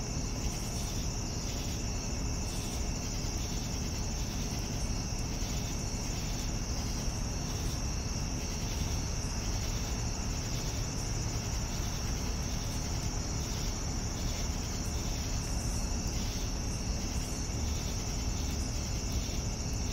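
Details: Crickets in the evening, with a continuous high-pitched ringing trill and softer, less distinct pulsing chirps beneath it, backed by steady low-frequency rumble.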